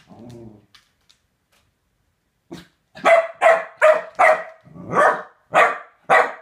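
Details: Chunk E. Sausage, a corgi given a femur bone, lets out a low growl, then after a pause a run of sharp, loud barks roughly every half second.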